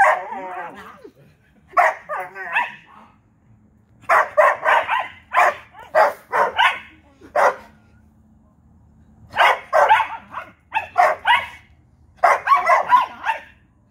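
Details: A Vizsla and a Corgi in their nightly back-and-forth barking exchange; short sharp barks come in bursts of three to six, with pauses between rounds and some whining, yelping tones early on.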